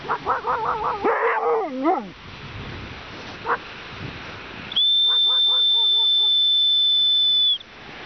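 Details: In the dark, a male Siberian Husky howls for his female companion who is lost, with quick, wavering, yodelling yelps, joined by a steady high whistle.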